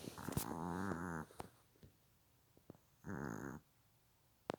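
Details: Sleeping Silky Terrier snoring indoors: two raspy, buzzing snores, a long one then a shorter one about two seconds later, with small clicks and near silence between them.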